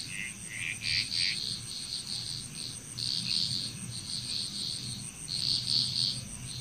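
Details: Chorusing frogs in Bali, Indonesia give trains of fast, rattling pulses that come and go every few seconds, mixed with steady cricket-like trilling and a faint low rumble underneath.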